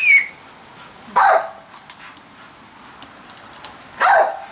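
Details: A female pit bull in a backyard barks at people playing with giant bubbles: two short, sharp barks about three seconds apart, with quiet pauses between.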